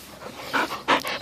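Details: Heavy, breathy panting in quick rough bursts from a rescued Bull Terrier, one of two playing together, the puppy Peyton (nine months) or Quigley (about eleven years).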